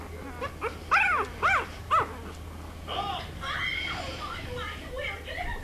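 English Bulldog puppies whine in short, high-pitched yelps that rise and fall, three loud ones about half a second apart. Fainter, wavering squeaks and murmurs follow against a low background hum.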